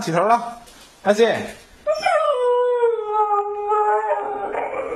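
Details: Husky vocalizing during play: short yelping sounds, then a long, drawn-out, slightly falling howl-like moan lasting nearly three seconds.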